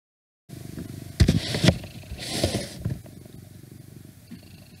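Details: Domestic cat purring during an indoor recording: a steady low rumbling purr runs throughout after a brief silent start, interrupted by a few louder rustling and handling noises early on, with faint outside noise.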